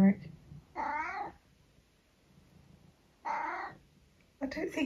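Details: Indoor tabby cat trading meows with a woman who tells it it is not a normal cat: two short, wavering meows roughly two seconds apart, with her voice at the start and the end.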